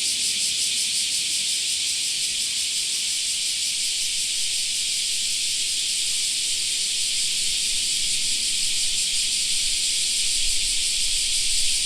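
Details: Many cicadas droning together in a summer park, a sustained piercing buzz with gentle pulsing texture; a soft low rumble rises near the end.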